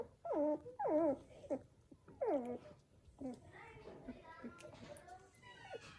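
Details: Newborn Samoyed puppies, one of a litter of seven born to a female named Joy, indoors at home; several high, wavering squeals that slide down in pitch, in bursts over the first three seconds, then softer whines, with faint human voices.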